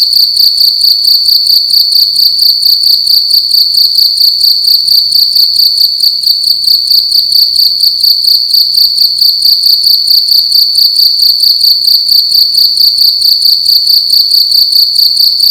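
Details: Loud cricket song inside a room during the night, an unbroken piercing high whistle-like trill made of quick even pulses, rhythmically throbbing through the whole stretch; nothing else audible.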